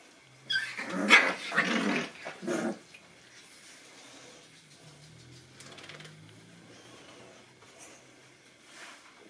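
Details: Nine-week-old Boston Terrier puppies investigating a new toy; a cluster of rough, growly puppy barks in the first three seconds, followed by quieter rustling and faint low grumbles.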